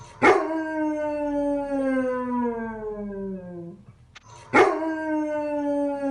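A basset hound gives two long, mournful howls that start high and slide steadily lower.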